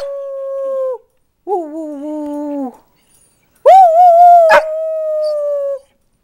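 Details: Dogs rooing in response to their mother: three drawn-out, steady tonal howls, the first two shorter with a pause between, the last longer and louder, holding an even pitch before fading.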